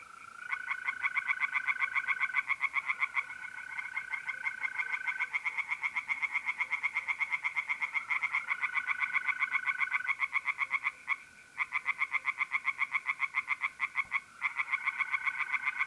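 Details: April night at a pond in North-East Italy with singing tree frogs: long, dense series of rapid rasping croaks, nearly four a second, with brief pauses, over the steady high trill of mole crickets.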